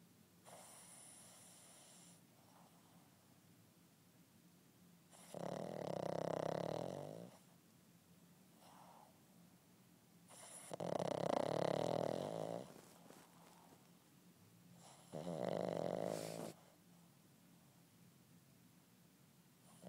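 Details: An 8-month-old Boston terrier puppy snores during a nap in loud, rasping bursts roughly every five seconds.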